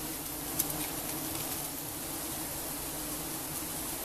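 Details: Steady droning buzz of giant honey bees as honey is harvested in Cambodia, a continuous low hum with no pauses and one brief sharp click near the start.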